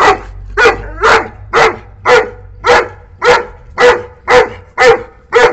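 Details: Angry barking from a 9-month-old Saint Bernard puppy chasing a wild cat off the boundary of its home; ten loud, evenly spaced barks roughly twice per second, each with a clear tonal core.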